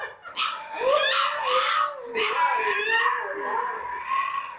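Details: White piebald Siberian husky puppy, quiet since it was brought home, howling for the first time: wavering, whining howls sliding up and down around one steady pitch for several seconds, with a short dip in the middle.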